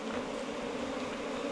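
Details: Honey bees at their nest inside a bamboo stalk four metres long, in Thailand. They make a steady, dense, droning hum at an even pitch, with no pauses.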